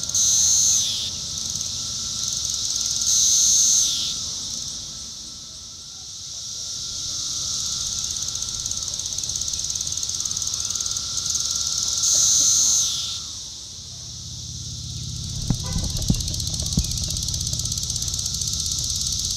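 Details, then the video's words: Periodical cicada Magicicada cassini, Brood IV, Shawnee Mission Park, Kansas, June 5, 2015; repeated high droning buzzes that swell and fade in several waves, ending with a few low clicks and knocks. "Magicicada cassini tymbal vibration (periodical cicada)"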